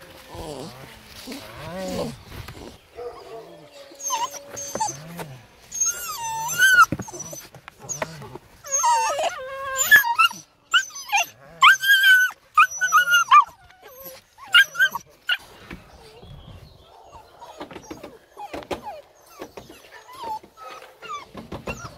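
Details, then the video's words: Female Presa Canario puppy in the USA, whining and yelping in high, wavering tones that rise and fall, with bursts of short squeals through the middle and quieter whimpers near the end. "Presa canario female puppy"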